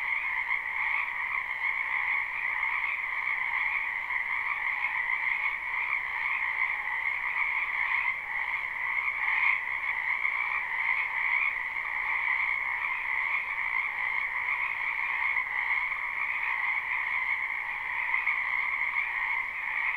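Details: Chorus of frogs in a spring wetland behind a home, captured live without loops; constant, even croaking trills stacked in mid and high bands across the whole stretch, no birds or voices.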